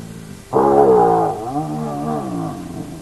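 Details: Hyena at an active den of the Naledi clan: a sudden loud, rich moaning call that starts abruptly, then slides gently downward and trails off into a softer wavering tail, over a faint constant hum.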